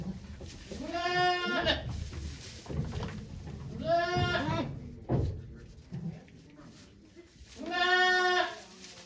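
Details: Bleating at Yoshigake goat farm on 3 May 2023 as the goat Okayu gives birth to two kids: three drawn-out, wavering bleats roughly three seconds apart, with faint voices and a steady high hiss.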